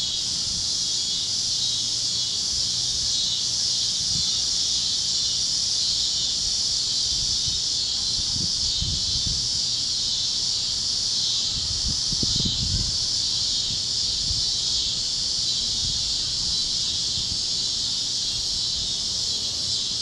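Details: Cicadas chirping with other critters at sunset over Kansas fields on the great plains, a warm evening: a steady, shrill high-pitched buzzing chorus runs unbroken throughout, with faint low rumbling sounds around the middle.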